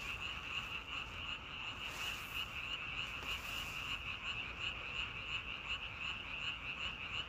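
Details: Many frogs croaking at once, a bright insistent trill repeated about three times per second, layered thickly over faint rumbling background noise.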